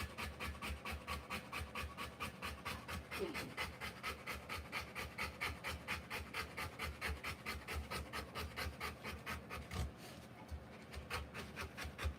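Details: Panting of a Rottweiler during the live birth of her puppies: quick, even breathy bursts around 130 per minute, sustained throughout with a faint faltering near the end.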